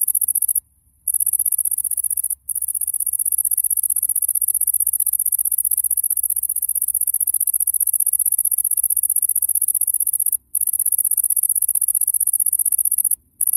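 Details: In the A.Vogel gardens in summer 2021, a bush cricket sings to lure a female: a very high, continuous sizzling buzz broken by a few brief pauses.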